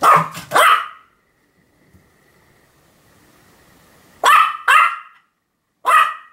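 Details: Pomeranian Sam barking over and over, 7 October 2015: a rapid pair of yappy barks, a few seconds of quiet, then two more barks close together and a final single bark.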